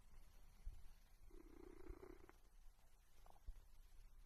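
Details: One soft, low purring burst from a cat lasts about a second in the middle, with a few faint clicks and taps around it in an otherwise quiet room.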